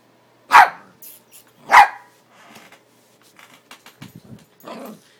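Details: Playing Yorkshire Terriers Neko and Maggie Mae: two loud sharp barks about a second apart, followed by softer scuffling and low growly noises.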